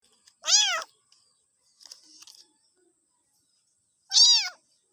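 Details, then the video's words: Cat or kitten giving two short high arched meows about three and a half seconds apart, with a faint rustle between them and otherwise silence. "Funny Cats and Kittens Meowing Compilation 2021"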